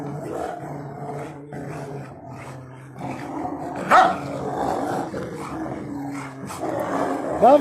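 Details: Rottweilers in a garden fight over a tyre with sustained throaty growls, a rising whine near the end, and a man's voice talking alongside.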